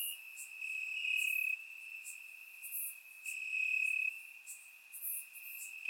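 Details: Steady high-pitched cricket trilling from grass on a warm summer night in Bulgaria, surround-microphone recording; one continuous tone that grows louder for stretches of about a second, over scattered faint higher insect clicks.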